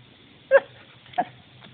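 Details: A Belgian Shepherd at play with a turtle gives two quick, high yipping barks roughly half a second apart over a faint low hum.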